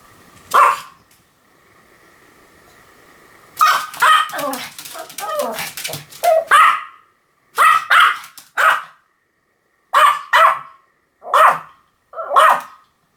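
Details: Pomeranian barking: one sharp high yap, a pause with a faint steady hum, then a dense burst of overlapping yaps and snuffles, followed by crisp barks in pairs about every second and a half.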